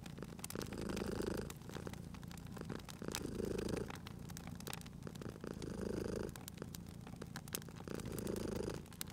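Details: Cute cat asleep by a crackling hearth in cozy spring surroundings, purring in four regular rumbling swells about two and a half seconds apart, with wood snapping and popping loudly in the background.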